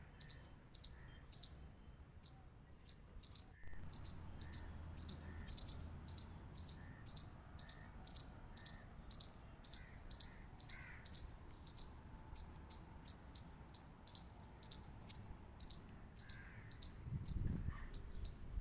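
A squirrel gives sharp, high clicks repeated about three times a second over a low background rumble.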